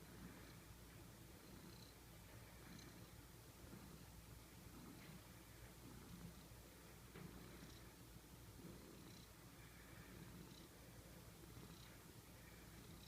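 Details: Domestic cat snoring in its sleep, low continuous purring drone with rhythmic soft breath sounds spaced about a second apart, faint and steady throughout.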